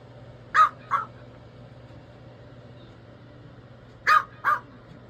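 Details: A small female Chihuahua barking to remind her owner it is treat time, two short sharp barks near the start and another pair about three seconds later, echoing indoors over a steady low hum.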